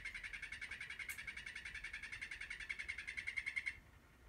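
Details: Captive male Terribilis frog calling in the afternoon for a female: a rapid, even trill of pulsed notes, about eight per second, holding a steady pitch for nearly four seconds, then stopping abruptly into quiet background hiss.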